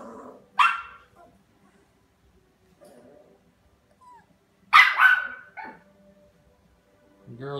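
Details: Small Havanese dog letting out two loud, abrupt barks several seconds apart, each followed by brief softer trailing yips, with quiet gaps and a faint low murmur near the end.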